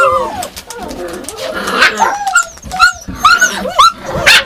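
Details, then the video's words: Yakutian Laika barking and whimpering, short rising yelps with overlapping higher whines, several voices in quick succession. "Якутская лайка . Yakutian Laika ."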